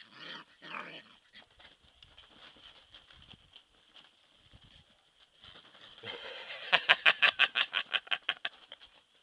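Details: Five Alaskan Malamute puppies, two males and three females, whine and squeal in high, thin cries, ending in a rapid run of yelps.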